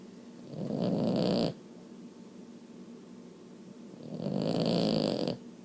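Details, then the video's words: Sleeping female Boston Terrier snoring loudly, which she does only now and then; two long rasping breaths about three seconds apart, each lasting roughly a second, with quiet pauses between. "Snoring Boston"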